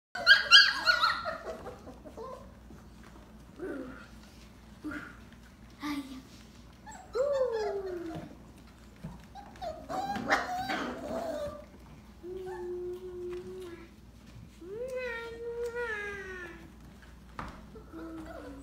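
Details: Belgian Malinois puppies: a series of short yelps and barks early, then drawn-out whines and whimpers, some level, some rising and falling, scattered over a steady low hum.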